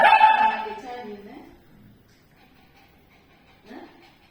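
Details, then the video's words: Frightened Shih Tzu reacting to a tea leaves ball infuser lets out a loud tonal bark-whine that slides downward and fades, followed by a brief softer yelp, with Tamil speech calming it. "Shih Tzu afraid of Tea Leaves Ball Infuser"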